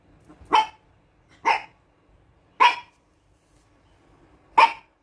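A Toy Poodle gives sharp, high-pitched single barks, spaced about a second apart.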